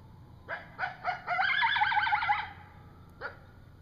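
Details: Night recording of a coyote in woodland accompanied by a young coyote: a few short yelps build into a rapid, warbling run of high yips, followed by a single final bark.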